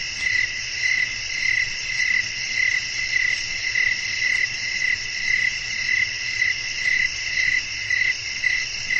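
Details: Crickets chirping at night with the wind blowing, a restful sleep soundscape; a string of short, sharp, high chirps repeats almost twice each second above a constant shimmering insect drone.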